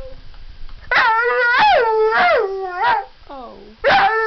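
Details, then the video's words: Pet puppy coaxed to "sing" that he loves his owner: a run of bending, yodel-like howled syllables rising and falling in pitch, a short soft whine, then one more loud howl. "ringo the talking dog"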